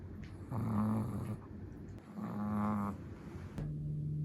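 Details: Sleeping Chihuahua's snore: two rattling, buzzy breaths roughly two seconds apart, each with a low steady tone, followed by a shorter soft exhale.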